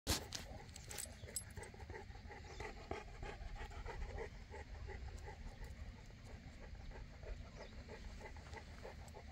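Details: Boerboel, a South African Mastiff, one of the pair Enzo and Diva living in Egypt, panting in quick rhythmic breaths with a low background rumble throughout.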